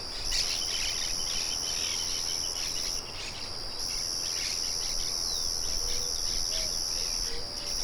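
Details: Crickets sing a continuous high-pitched buzzing trill that drops out briefly twice. Soft scattered bird chirps come through, and low whistled notes appear near the end. The mill's steady broadband murmur runs throughout.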